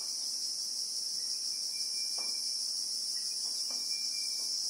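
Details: Christmas beetle (Anoplognathus) drone in South African acacia bushveld, heard in real time as a relentless high buzzing wall of sound, joined by a faint broken whistle-like tone and a few quiet low taps.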